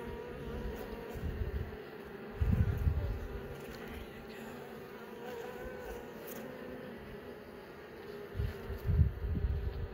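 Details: Steady hum of honey bees in an opened hive as several young bees emerge from their brood cells; the droning buzz is broken by two loud low thumps, near the start and near the end.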